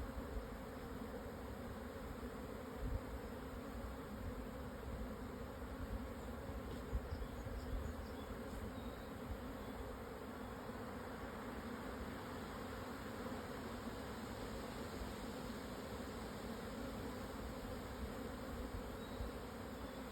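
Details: Swarming Japanese honey bees at noon on 17 June 2024, after strong wind eased, at 1054 m on the southern foot of Yatsugatake, Hokuto, Yamanashi, Japan; a dense, steady droning hum holds throughout with a few faint ticks.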